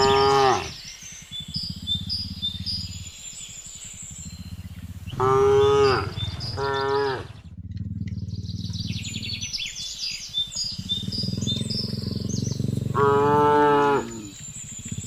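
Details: Herded cattle walking home along a road in a rural village in the afternoon, calling the herd: a brief low at the start, then two long harmonic moos, with rumbling background noise and high chirping between.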